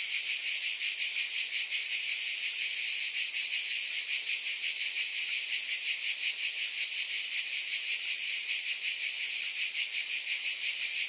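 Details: A wall of cicada sound: a continuous sizzling high whine that throbs quickly and holds steady from start to finish.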